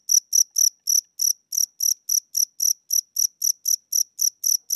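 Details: Cricket chirping indoors at night in a house, an old, tired cricket with weakening wings; high, clean chirps repeated steadily about four times a second, slow tempo, nothing else heard.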